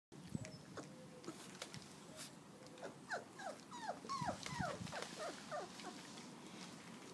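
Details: Four-week-old field trial Labrador Retriever puppies in a garden, taking first steps and eating porridge; a run of short, quick squeaky whimpers and yelps, several a second, with soft rustling and thuds of movement.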